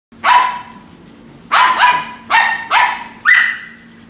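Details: Pembroke Welsh Corgi at a breeding kennel in Om Noi, Samut Sakhon, Thailand, gives a series of sharp, mid-pitched barks, some in quick doubled pairs.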